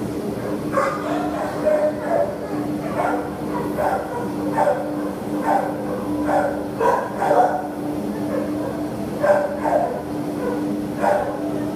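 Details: Barks from a terrier offered for adoption, 27 September 2015: irregular clusters of short, rough barks throughout, some rapid pairs, faint voices and a persistent low hum behind.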